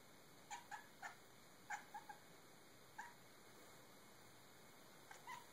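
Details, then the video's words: Cat playing with a sunlight reflection, giving short, quiet bark-like chirps in quick clusters of two or three, each clipped and slightly nasal, with pauses between bursts over a steady hiss. "Cat making funny noises"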